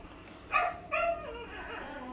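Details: Pomeranian named Mee-yu during an obedience training session: two short, high, ringing yips about 0.4 seconds apart, followed by a fainter, lower trailing tone.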